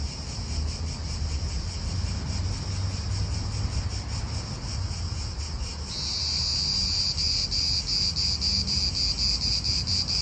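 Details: Cicada chorus in an Italian park, the high pulsing buzz swelling louder and brighter about six seconds in as another insect joins, over a constant low wind and car rumble.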